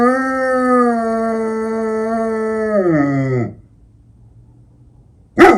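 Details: An eight-year-old female German Shepherd howls at night for the first time in her life, in Ukraine, giving a long, steady howl that slides sharply downward at the end.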